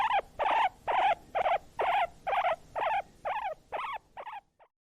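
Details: Guinea pig, said to wheek when hungry or excited: about ten short squeaky notes that each drop in pitch, repeated at an even pace of roughly two per second and fading toward the end.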